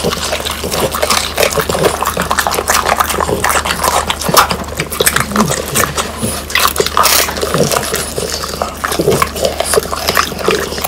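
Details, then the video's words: Pang, Kun and Ppo, three French Bulldogs, gnaw through whole dried quail with bones. Continuous crunchy crackling and wet chewing, dense and rhythmic, with frequent sharp snaps. "강아지 먹방 ASMR 통메추리를 건조시켜 바삭하게 먹어봤어요"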